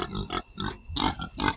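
A pig gives a quick run of four or five rough, nasal oinks, low and throaty, packed into under two seconds.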